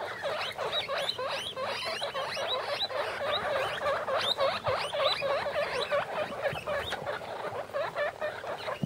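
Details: Fifteen-day-old guinea pig pups, three males and three females from one litter, pressed together in a plastic bin; fast, overlapping rising squeaks nearly four per second, loud and continuous.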